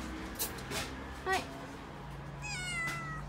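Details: Mikene, a female calico kitten in Okinawa, is scared by delivery men bringing a fridge: one brief, quiet meow near the end, after clattering household knocks while a person speaks softly.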